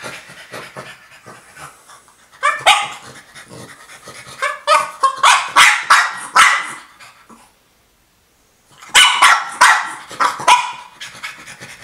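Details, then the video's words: Female French Bulldog asking for her toy: soft whimpers and snuffles build into fast volleys of high barks, a short silence, then another volley of barks. "French Bulldog Nikki wants her toy"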